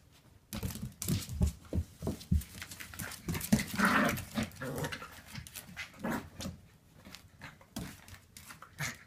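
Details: Two Wire Fox Terrier puppies, Nicholas and Noelle, playing and romping at Wire Fox Terrier Rescue Midwest; quick, breathy, noisy bursts come several times a second in uneven runs, with louder scuffling peaks near the middle.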